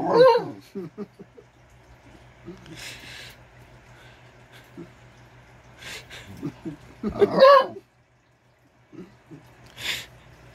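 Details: Female Basenji, a so-called barkless dog, voicing her frustration or excitement indoors. Two loud, harmonic, yodel-like wails, one at the start and one after about seven seconds, with short whining notes between them. A person talks nearby.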